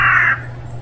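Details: A single sharp, brief mew from a hungry stray kitten, strong and abrupt, then fading into a steady low hum.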